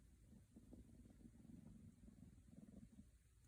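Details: Soft rumbling purr from Scottish Fold kittens seeking attention, pulsing steadily at a low pitch and faint against a quiet indoor background.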